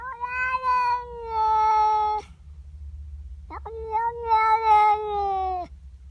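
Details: Female house cat displeased by another cat in her garden, uttering two long, steady, moaning yowls of about two seconds each with a slight wobble, separated by a short pause, over a low background hum.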